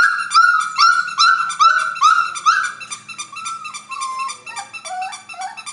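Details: Creme F1 Labradoodle, a cross of a creme Standard Poodle mother and a red Labrador father, gives high, clear whining yelps, each slurring downward, about two per second, the pitch sinking and the notes growing ragged toward the end.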